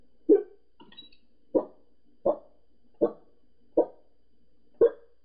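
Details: Pembroke Welsh Corgi indoors barking at people outside next door: six sharp, single barks spaced roughly a second apart, clean and dry with a quiet room behind.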